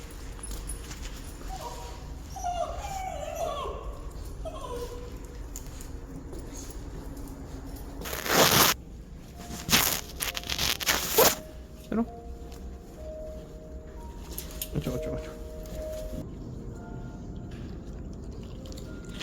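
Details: Pet dog, a Korean mixed breed, on an outing to the vet, whimpering in high, thin wavering whines between about two and five seconds, followed by loud bursts of rustling and handling noise and a few faint tonal squeaks.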